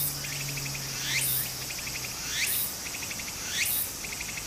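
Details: Cicada singing in summer near a small stream in Japan: quick sets of pulsed ticking notes, each followed by a sharp upward-sweeping buzzy rasp, repeating about once per second.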